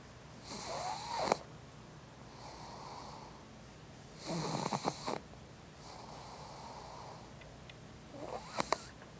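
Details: Pug Izzy asleep and dreaming, worn out after wrestling outdoors in the heat with big dog Toby; raspy, breathy snores come in uneven bursts, some strong with snorty catches, softer wheezy breaths between, in a quiet room.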